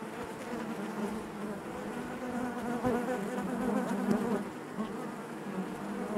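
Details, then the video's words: Dense, steady drone of many honey bees in the hive, a low thick hum that rises slightly in strength midway and stays unbroken to the end. "bees therapy hive natural buzzing sound"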